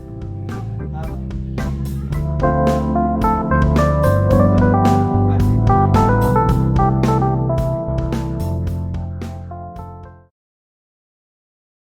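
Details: Keyboard and organ-like music plays steadily with layered chords, then cuts off just after ten seconds into silence, with no animal voice anywhere.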